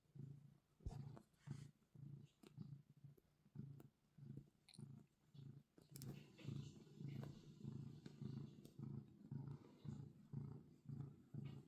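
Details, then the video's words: Purring domestic cat kneading, a steady deep rumble pulsing about twice a second, each inhale and exhale clearly separated, with a few soft clicks and rustling. "Kneading and Purring"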